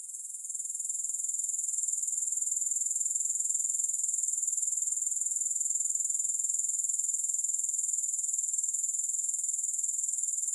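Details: A continuous shrill grasshopper trill with no music, fading in over the first second and then holding a dense, even pulse of about four beats per second throughout.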